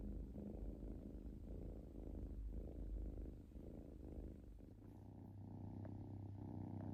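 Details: Kitten purring while relaxed: low, throbbing purr pulses in the first four seconds, after which the rumble softens and a steady low hum takes over for the remainder.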